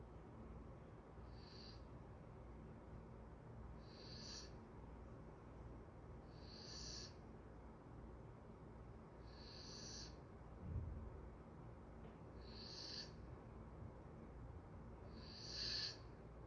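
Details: Golden retriever asleep, breathing in soft, regular bursts of airy, whistling exhalations roughly every two and a half seconds over a steady low hum, with a faint thump near the middle.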